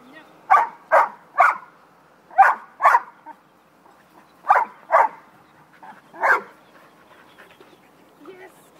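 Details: Puppies at play give short, yappy barks in quick pairs and triplets, about eight bursts with brief pauses between, in a quiet room.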